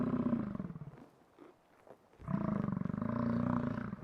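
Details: American bison giving deep, throaty, pulsing roars, two rumbling bouts split by a quiet gap of about a second.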